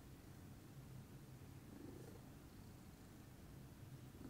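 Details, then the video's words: Lilac Scottish Fold Pudding purring peacefully in the morning, a soft, deep, unbroken rumble holding steady for a few seconds with slight swells near the middle and end. "calming purr meditation by pudding"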